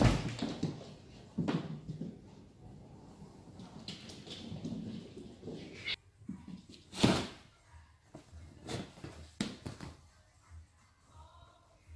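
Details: Indoor thumps, knocks and scuffling footsteps with no animal voice.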